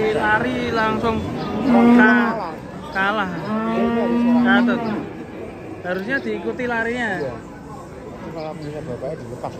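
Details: Cattle unloaded from a truck low repeatedly: deep, strongly resonant moos, two sustained and steady, others shorter with wavering pitch, coming every couple of seconds amid faint human voices.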